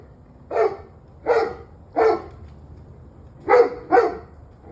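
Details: Barking dog in an evening recording from 21 November 2023 at 7:06 pm, giving five loud, harsh barks at uneven intervals, the last two close together, with a faint low hum underneath.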